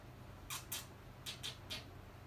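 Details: Male Papillon puppy born on 1 February, from a breeder's puppy listing: five short, squeaky yips, a quick pair, then two more close together and a last one, over a steady low indoor hum.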